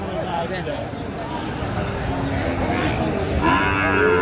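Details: Sahiwal breed bulls at a Comilla market in Bangladesh, February 2025; a steady din of crowd noise gives way near the end to a clear, rising, drawn-out moo.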